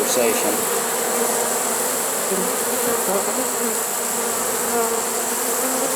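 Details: Swarm of honey bees taken in a trap on 1 September 2019, unusually late in the season: an unbroken, thick buzzing drone from many insects, steady in loudness, no other sounds.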